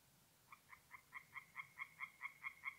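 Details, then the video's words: Tree frogs singing at night by a forest pond in north-east Italy in mid-April: a series of about a dozen short, nasal pulses, roughly five per second, growing steadily louder, over a faint low background hum. "relaxing forest pond by night with singing tree frogs"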